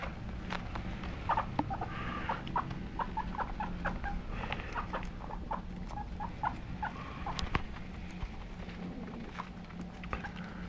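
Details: Pet guinea pigs give short, mid-pitched squeaking notes in irregular bursts, with a few louder clicks and a steady low electrical hum underneath.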